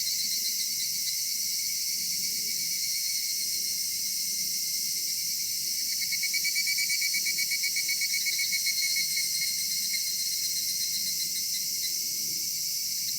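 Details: Evening cicada chorus in a summer cedar forest: a constant shrill high hum, with a louder pulsing, rapidly throbbing voice rising partway through and then fading back into the steady background.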